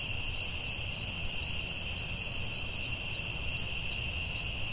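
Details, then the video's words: Crickets at night in a forest: a steady high shrill hum under bright pulsed chirps repeating about every half second, with a faint low rumble beneath. "Soothing Cricket🦗 Sounds at Night for Sleeping & Stress Relief"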